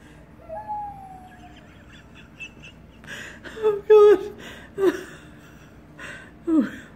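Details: A female red-nose pit bull, newly finding her howling voice, gives a drawn-out, slightly falling howl, then several shorter, wavering howls dropping in pitch; she also squeaks.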